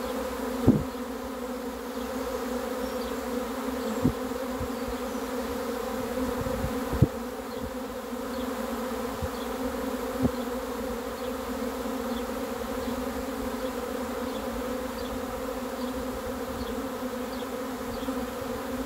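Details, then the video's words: A swarm of honey bees arriving to be caught, heard as a constant layered hum that never lets up, broken by a few scattered taps and clicks from handling. "catching a swarm of honey bees"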